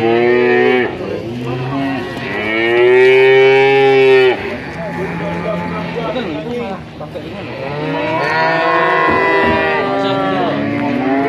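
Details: Male calves in Grabag, Magelang, Indonesia, a batch of 19 animals, call repeatedly: loud, sustained bellowing moos rising and falling in pitch, several animals overlapping, with a brief lull midway before more lowing.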